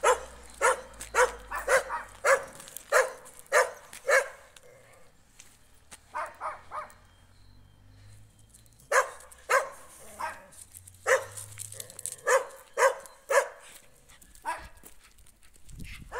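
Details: Jack Russell Terrier confronting a stray dog in the street: bursts of rapid sharp barks, a quieter stretch with a few softer yaps midway, then another volley of barks tapering off.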